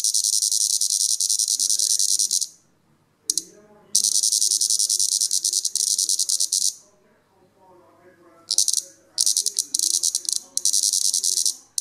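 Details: Plebeian cicada (Lyristes plebeja), Europe's largest cicada, deliberately disturbed while sap-feeding and showing displeasure: loud high buzzing bursts broken by pauses, with a man speaking during the gaps.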